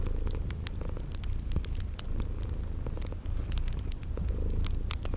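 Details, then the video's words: Purring of a sleeping kitty, a dense low rumble with gentle pulsing, accompanied by light fire crackles and brief high-pitched chirps from insects in a spring garden. "Relax with Cute Sleeping Purring Kitties"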